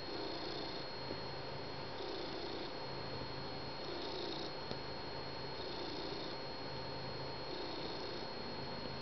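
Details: Indoors on a couch at morning coffee time, the cat Finnegan purrs contentedly beside his people and his beloved blanket; the low purring rumble swells and fades in a regular breathing rhythm, about one cycle per two seconds, over a steady hum.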